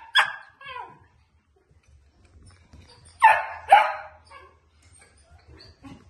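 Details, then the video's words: Shetland Sheepdog giving a few sharp, bright barks: one loud bark at the start with a softer follow-up, then a strong pair close together mid-way, and faint short yips after. Quiet in between. "Shetland Sheepdog"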